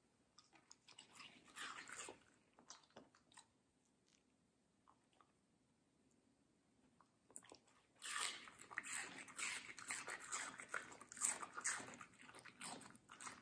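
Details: A medium-size female Samoyed named Middle crunching sweet watermelon: scattered wet chews, then a near-silent pause of several seconds, followed by a dense, louder run of crisp, slurpy bites to the end.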